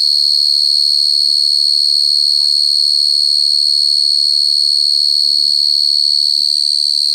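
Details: Cricket sounding loud and unbroken: a steady, piercing high-pitched trill held at one pitch with a fainter higher overtone the whole time, and a few soft low murmurs underneath.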